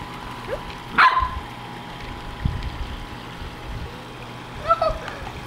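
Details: Ventus, a Corgi, playing in a backyard with a soccer ball his own size: one sharp bark near the start and a fainter yelp toward the end, over steady background hum and a person talking.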